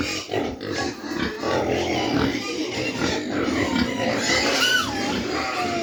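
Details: Mini pigs at a farm in Dimapur, Nagaland, with dense grunting and a couple of sharp, sliding squeals near the end, over a busy background with faint music.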